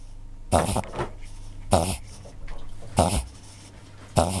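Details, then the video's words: Cavalier King Charles Spaniel in a reverse-sneeze episode, possibly an epileptic seizure, which is hard to stop once it starts; four harsh, snorting broadband bursts come roughly every 1.2 seconds over a steady low indoor hum. "逆くしゃみ *キャバリア* *てんかん発作*"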